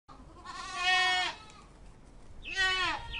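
A goat gives two wavering, nasal bleats: a long quavering one of about a second, then a shorter one after a pause.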